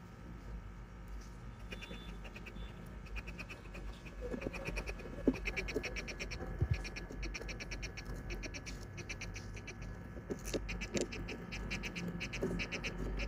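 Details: Two hermit crabs fighting over a shell make quick bursts of dry, clicking, crackling pulses much like a chirping cricket, over a low hum; the owner believes the sound threatens enemies and rivals.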